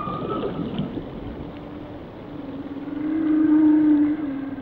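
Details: Whale song: a brief higher tone at first, then a long, steady, loud moan swelling in the second half, over constant underwater hiss.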